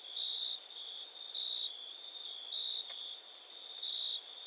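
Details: At night, a cricket's high sustained trill rises into four louder chirp bursts spaced about a second apart, over a softer continuous high buzz of other insects.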